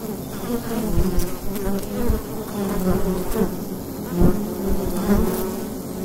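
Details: Wild hive entrance by day in autumn, bees humming in a thick low drone; layered wavering tones with passing louder buzzes and brief clicks as individual bees fly close.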